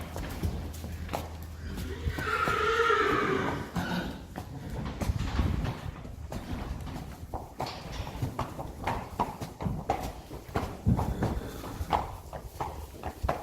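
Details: Friesian mares in the stable in the morning, about to be let outside: one loud, quavering whinny lasting over a second, then rapid irregular hoof clops and shuffling on a hard floor.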